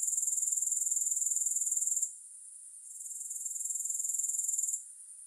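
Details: Bursts of high, rapidly pulsed grasshopper trilling, each lasting about two seconds, separated by quieter gaps before the trill swells back up.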